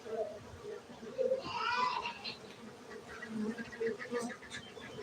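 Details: A low, even drone from honey bees kept at a bee farm in Gayo, Aceh, Indonesia, with a brief brighter rustling sound and soft background voices.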